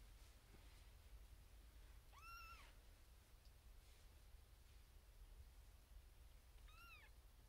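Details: Female kitten, firstborn of her litter, born April 2021, in a birthing box with six other kittens and calling for her owner's attention; two short arched meows about four and a half seconds apart over a steady low indoor hum.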